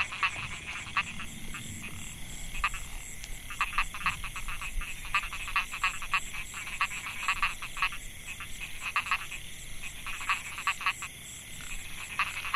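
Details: Chorus of male narrow-mouthed frogs (Microhyla pulchra) calling to attract females in the Mae Hia rice field, Chiang Mai, Thailand, 2014. Short rattling pulsed notes repeat in quick, irregular bursts over a steady high insect drone.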